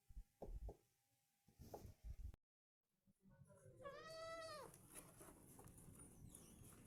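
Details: Goat giving one long, quavering, nasal bleat after a stretch of low thumps, handling noise and a brief silence, with steady background hiss.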